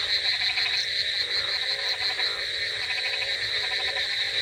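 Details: Frogs croak through a rainy night in a short burst of dense chorus, rattling pulses overlapping beneath a continuous high trill, with one brief sharper chirp near the start.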